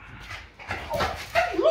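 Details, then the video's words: French Bulldog Lucky arguing with its owner over bedtime at home, giving soft whimpers that build into a louder, wavering, yodel-like whine ending in a rising then falling moan, with a woman's scolding voice nearby. "French Bulldog Argues With Mom Over Bedtime"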